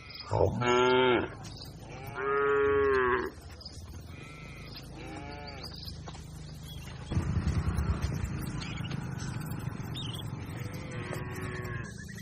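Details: Herd of cattle grazing on a wide green pasture: several loud, drawn-out harmonic moos, each lasting about a second, some higher and nasal, with a steady low rumble of background noise in the second half.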